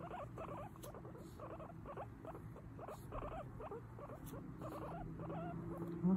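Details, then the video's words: Mimi the guinea pig chats away nonstop, a dense run of short squeaky chirps and upward slides in rapid irregular clusters, some louder peaks near the end, low hum in the background. "Guinea pig chatting away"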